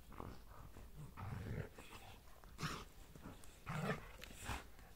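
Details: Mother and son German Shepherds, Asta and Max, at play; short deep growls alternate with breathy huffs and scrabbling noises, the louder growling bursts falling near the start, middle and end.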